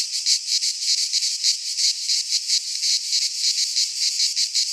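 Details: Midsummer cicada chorus from a pine forest in Greece, a piercing high rasp throbbing in quick regular surges about three per second, steady and loud throughout.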